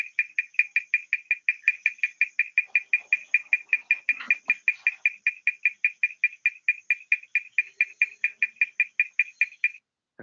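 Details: Male Kudremukh bush frog of the Western Ghats, calling through its vocal sac to draw in a female before amplexus. A steady train of short, high, clicking pulses comes nearly three per second, with a faint knock midway.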